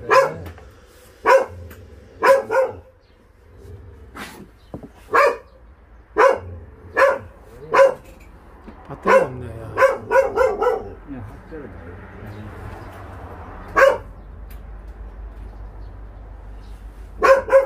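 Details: A shelter dog barks during a volunteer transport of strays at Ulsan's Narae-ul Center, Korea. It gives about fifteen clipped barks, some singly and some in quick pairs and triples, with quiet stretches and low background rumble between.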